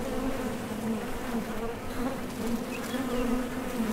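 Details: Short stretch of honey bee flight noise at a Top Bar Hive entrance, many bees leaving and landing; an even, dense low hum with a higher harmonic layer and small swells.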